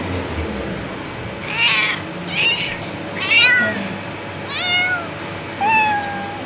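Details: Cat calling repeatedly: five rough then clearer meows about a second apart, starting harsh and wavering, ending in a long falling mew, with faint low rumbling noise underneath.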